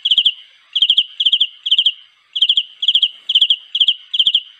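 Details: Cricket calling to attract a mate, giving bright, high-pitched chirps of three or four rapid pulses each, about nine chirps in quick succession, with one slightly longer pause in the middle.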